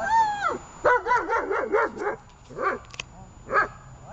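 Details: Female German Shepherd during protection training on 24 October 2018 gives a high falling whine, then a rapid run of harmonic yelping barks, followed by two separate barks.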